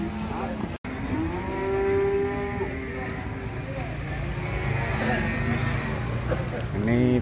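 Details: Long, steady moo from cattle at the Gamping, Jogja cattle market of Ambarketawang near the ticket booth, held nearly two seconds, then quieter lowing and a rising call at the end over market noise and engine hum.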